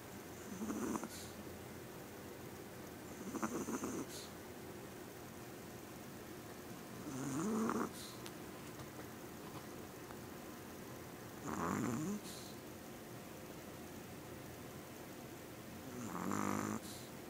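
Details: Small female Yorkshire Terrier snoring loudly while asleep: broad breathy rasps roughly every four seconds, each about a second long with a soft raspy hiss between, in a quiet room.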